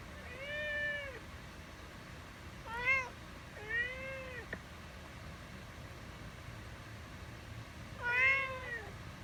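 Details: House cat repeating short meows, four calls spread over several seconds, each a bright tonal rise and fall, the last one strongest, with soft low background noise between them.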